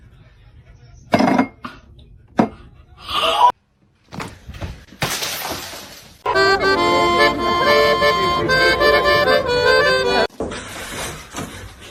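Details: Sharp clattering bursts give way to steady accordion music, with no animal voice heard.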